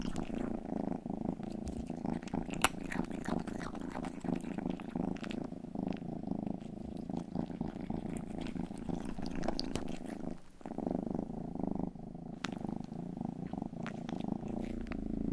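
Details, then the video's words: Purring of Rangi, the youngest pet cat, licking ears for ASMR indoors: a steady low rumbling drone with sharp wet licking clicks scattered throughout, briefly pausing near ten seconds before resuming. "ASMR 하는 고양이!(Purring & ear licking sound)"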